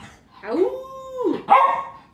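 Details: Pet dog asked to speak, producing a drawn-out, howl-like tone held steady for nearly a second, then breaking into a sharp higher yelp; the owner's voice is heard around it.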